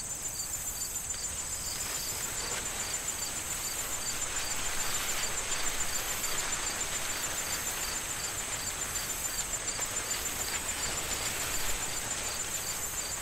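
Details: In an autumn corn field shortly before harvest, crickets give a high, continuous trill with fainter, evenly spaced pulses about three or four each second, over a broad hiss of wind and rustling dry corn stalks.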